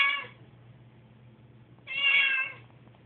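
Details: On a noisy moving day, anxious house cat Susie lets out two bright, high meows, the second longer and rising, with a low hum beneath.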